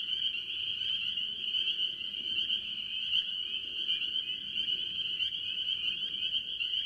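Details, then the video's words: Spring peepers dominate a mixed tree frog chorus at a farm pond in the early part of the year, a relentless high-pitched peeping mass with faint low background noise. "Relaxing Tree Frog Sounds - Spring Peepers"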